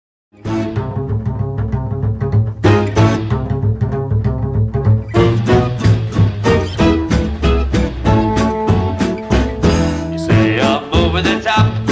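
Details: Lively plucked double bass and strings play a swinging tune, with no animal sound.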